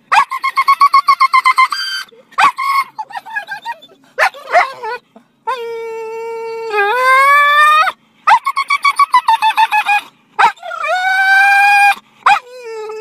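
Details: An English Springer Spaniel gives rapid, high-pitched yipping barks that stretch into long whining howls, excited at seeing a squirrel.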